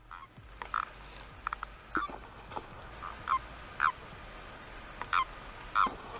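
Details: A common toad, among amphibian calls heard around Tres Cantos north of Madrid, Spain, gives soft, short, mid-pitched notes at uneven intervals of about a second.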